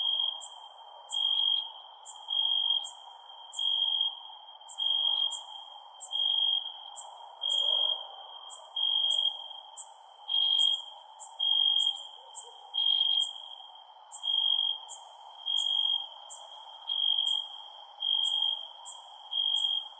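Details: Night-time cricket chirping, a bright steady trill switching on and off in regular bursts roughly every second and a half, overlaid by quick high clicking pulses and a constant low background hiss.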